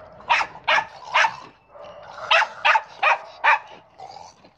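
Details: A dog playing with a ball barks seven times in quick succession, short sharp bursts about half a second apart, with a brief pause midway and a faint tonal hum underneath.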